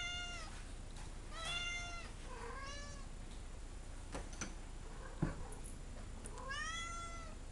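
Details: An angry house cat named Ginger, wanting to go outside, repeats insistent meows: four or five rising-then-falling cries spaced a second or two apart, with soft clicks and faint room sounds between them.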